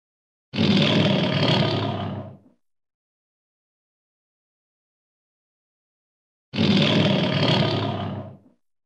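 A lion gives a deep, rasping roar, repeated once after a long silence.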